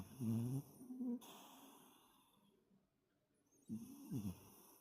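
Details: Sleeping toy poodle Toto, a heavy snorer resting after play, gives short wheezy snorting breaths at the start and again near the end, separated by a quiet pause.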